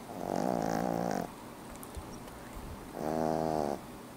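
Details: Eleven-week-old French Bulldog puppy named Louie snoring while asleep: two drawn-out nasal snores with a buzzy, harmonic-rich tone, each about one second long, separated by a quiet breathing pause of roughly two seconds.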